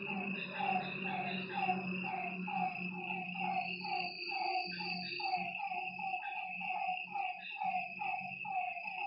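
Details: Lakeside frogs at night give quick, repeated mid-pitched croaks, irregular and overlapping from several callers, while a continuous high insect buzz runs underneath and a low hum fades in and out.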